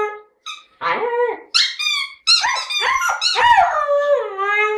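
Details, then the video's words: Siberian Husky singing indoors out of a lyrical mood, likely voicing its feelings: short squeaky yips rising into a wavering, yodel-like howl that slowly sinks and fades. "Хаски поет"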